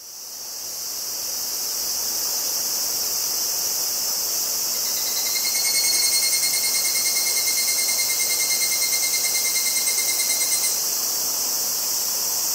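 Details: Evening cicadas (Tanna japonensis, higurashi) near Kobe, Japan, on 14 August 2011, captured on Zoom handheld recorders: a dense, steady high-pitched hiss swells in, and a clear pure ringing tone is held over it for about six seconds.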